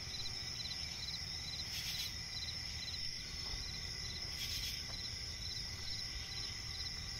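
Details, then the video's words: Crickets in a swampy forest at night give a constant high trill and quick pulsed chirps roughly twice a second, with two brief hissing bursts and a low rumbling backdrop. "cricket chirping relaxing sound in night forest"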